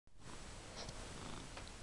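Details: A pet cat purring indoors on January 12, 2012; a steady low rumbling drone fills the clip without pause.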